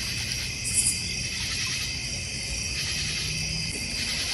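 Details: Crickets chorusing in a North Georgia Mountains backyard near a goldfish pond and bird feeder. Constant shrill, high-pitched trilling in several layers, with one brief soft buzz near the start.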